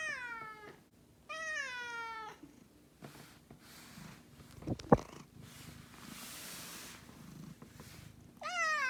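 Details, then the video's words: Miho, a pet cat about two years old, angry at her owner for working late or staying out overnight: two long siren-like meows that slide downward, a noisy shuffling stretch, then a third drawn-out wail at the end. "내가 보려고 만든 내 고양이 화내는 사이렌 소리 모음"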